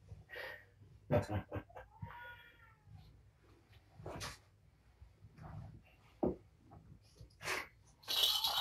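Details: Kittens of the rescued cat Patience at Purrfect Pals, a litter of five (four males, one female), at evening dinnertime indoors; one short arched harmonic meow stands out amid clinking dishes and a person talking nearby.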